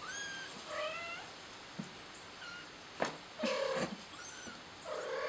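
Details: Frightened kitten crying for its mother, giving a run of high, wavering meows, some rising and some falling, between brief knocks and rustles, with thin chirping faintly in the background.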